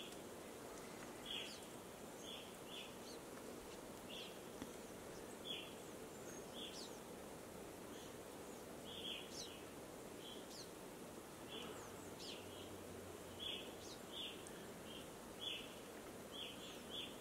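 An American red squirrel gives short, sharp chirps at irregular intervals over a steady hiss.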